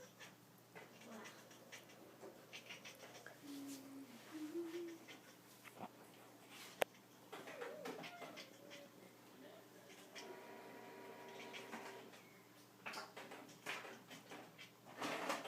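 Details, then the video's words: A domestic cat indoors makes strange, quiet vocal noises while trying to coax a string down. Short wavering tonal sounds come in scattered bursts, with a person speaking, clicks and household noise around them. "cat makes strange noise to coax string down"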